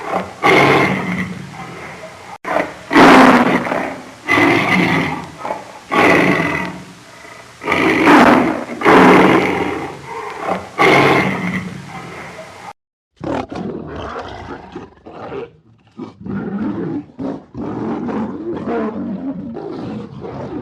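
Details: Lions roaring in a run of loud, harsh, regularly spaced bursts, then a shorter series of softer grunting growls after a brief break.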